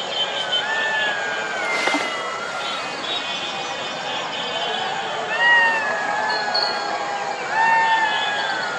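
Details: Golden jackal. A pack of golden jackals howls in chorus, many thin, quavering voices sliding up and down and overlapping. Some cries climb to a higher pitch and then tail away, while a low background hum runs underneath.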